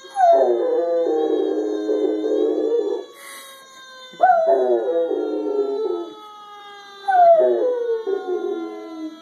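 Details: An otherwise very quiet female Rottweiler howls in long, wavering bursts that start high and slide downward, answering a fire truck siren.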